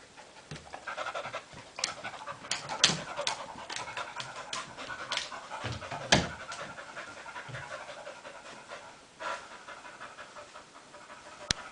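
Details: Dogs Sophie and Ryo playing together; breathy panting and snuffling fill the recording, broken by sharp clicks and scrapes of paws and bodies, with quieter lulls and one crisp snap near the end.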